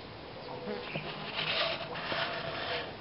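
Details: Bluebottle fly filmed in macro close-up in Argentina, giving a steady, continuous buzzing hum with gentle swells in loudness from start to finish.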